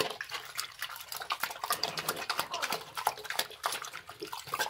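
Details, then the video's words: Pig slurping up slop, heard as quick wet clicks and splashy smacks packed closely together, with a dripping, liquid quality and no vocal calls. "pig is eating slop / cerdo comiendo /suar khaata hai"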